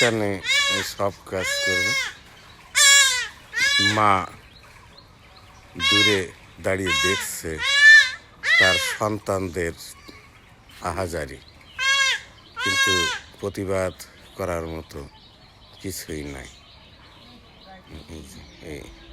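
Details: Kid goats undergoing castration, their testicles cut out by knife, give repeated tremulous bleats in short groups across the recording. The bleats are separated by quiet gaps, and people talk in the background.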